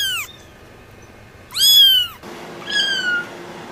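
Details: Three separate cat meows joined by abrupt cuts: a brief falling cry, then a loud arched meow, then a softer, slightly descending meow over light room noise.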